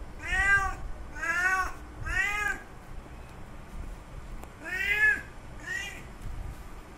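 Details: Male cat calling for a female in heat: five strained, nasal meows, three in quick succession about a second apart, a short gap, then two more, each bending up and down in pitch, over faint low background noise.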